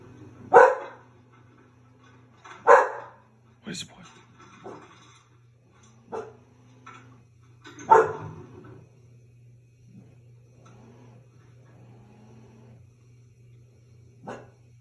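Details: An English Bull Terrier gives loud, gruff barks spaced a few seconds apart, with a person speaking softly.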